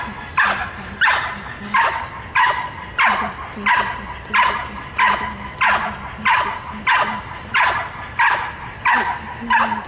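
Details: Repeated hold-and-bark exercise by a 22-month-old trained dog: a steady series of about sixteen short, forceful barks, roughly one every 0.6 seconds, evenly paced throughout.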